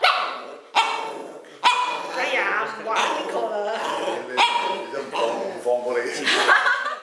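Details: An angry indoor pet dog answering people: gruff barks and growly, moaning vocal bursts repeated every second or so, overlapping with people's voices speaking Cantonese in a small room.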